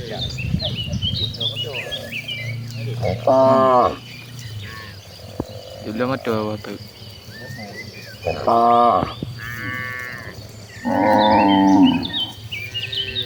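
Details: Tame village cattle in a herd walking to a green rice-field pasture to graze; several loud harmonic moos, each about a second long, come at irregular intervals among background chatter, with birds twittering faintly above.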